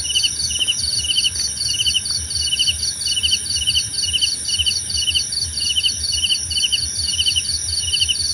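A cricket chirps in quick, evenly spaced bursts over a steady high insect hum.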